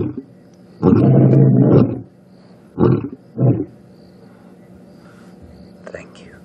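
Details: Lions roar in the African bush on a sunset drive after rain: one long, deep, rumbling moan followed by two shorter, grunting bursts about half a second apart, with faint background hiss.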